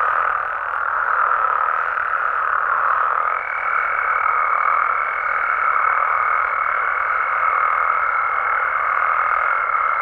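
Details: Frogs and toads in Mexico calling through the night, an unbroken mid-pitched croaking chorus, joined after a few seconds by a steady high, whistle-like whine that continues to the end.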